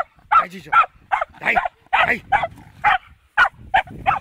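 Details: Fox terrier meeting a wild boar for the first time, giving a quick run of sharp, clipped barks about twice a second, some doubled, with short silent gaps between bursts.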